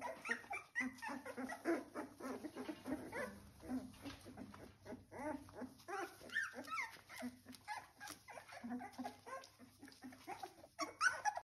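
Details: Three-week-old Welsh Springer Spaniel puppies squealing and whimpering almost continuously, many short wavering squeaks overlapping, some sharper yips near the end.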